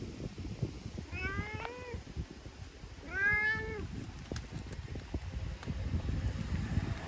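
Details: Talkative stray brown tabby-and-white cat rubbing and licking in return for being petted; two drawn-out, rising-then-falling meows about two seconds apart over low outdoor rumble and scattered clicks.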